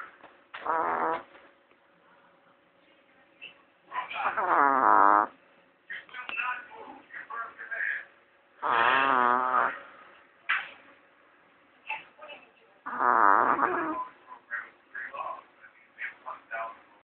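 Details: Sleeping Chihuahua, jokingly likened to a little pig, snoring: rough, rattling, drawn-out snores come in loud bursts about every four seconds, with softer snuffling and small scratchy sounds in the quiet gaps between them.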